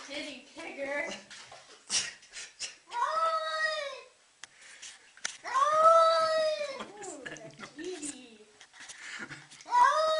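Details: Pet cat protesting while being given a bath indoors, drawn-out arched yowls of about a second each, rising then falling, repeated at irregular gaps, mixed with human talking in a small room.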